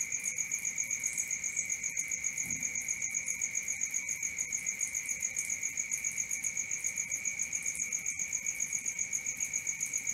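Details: High shrill cricket chirps repeat evenly near four per second through the night, paired with an unbroken lower-pitched ringing drone, plus a brief soft low thump partway through.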